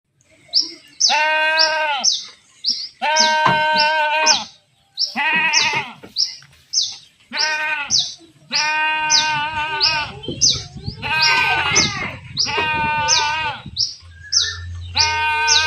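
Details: Goats being herded, bleating again and again in loud, harmonic, wavering cries, each about a second long, with short gaps; several overlapping callers and some low rumbling noise in the second half.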